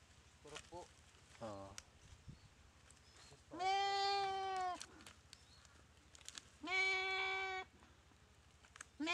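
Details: Goat under attack by a Komodo dragon after a paralysing bite, dry riverbed of Komodo Village; two long, strained bleats about three seconds apart, preceded by short, faint, broken cries.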